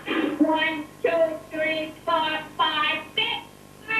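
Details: A captive dolphin in Lilly's study, kept in seaside pools and taught human language, mimics speech with a string of nasal, voice-like syllables, each about half a second long.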